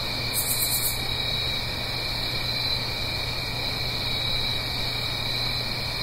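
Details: Autumn night cricket chorus in the Blue Ridge Mountains near a stream, heard as a continuous high ringing trill layered in several bands, opened by a short sharp pulsed buzz, with a steady low background hum beneath.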